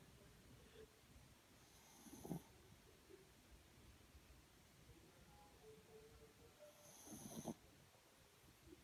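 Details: Pomeranians Mochi and Kona asleep, giving two rough snoring breaths about five seconds apart, each a brief raspy rattle with airy hiss, in a hushed indoor setting with faint low rumbling between.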